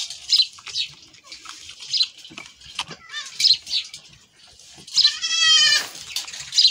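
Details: Goat running off after being milked, one loud wavering bleat near the end rising over scattered clattering, shuffling and brief scraping noises.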